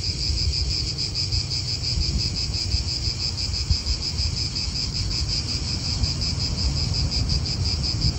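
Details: Cicadas calling in an Italian park: a steady, high buzzing drone with a fast shimmering pulse runs without a break, over a constant low rumble of wind and nearby traffic.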